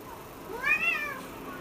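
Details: Cat giving one clear meow, about half a second long, rising then falling in an arched, tonal shape with strong overtones; quiet background otherwise.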